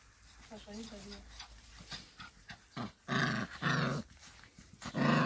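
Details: Labrador Retriever mother Lilly leads her puppies of the 2020 E litter through a garden; rough, harmonic growls build into loud broadband bursts near the end, with a human voice speaking in the background.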